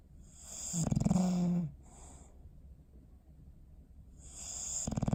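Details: A snoring dog named Bowser, sleeping on December 21, 2019: a buzzing, vibrating snore, a quiet breathy exhale, a long pause, then the next snore just beginning at the end.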